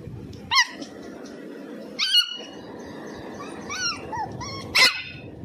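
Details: A Pomeranian puppy trying to bark for the first time gives thin, high-pitched yips, squeaky little barks spaced a second or two apart.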